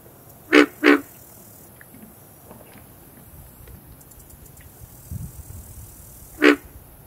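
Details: Pig frog calling from a marsh at Green Cay Nature Center, Boynton Beach, Florida: two short, hoarse grunts in quick succession, then a pause of over five seconds before a single matching grunt, with a quiet background.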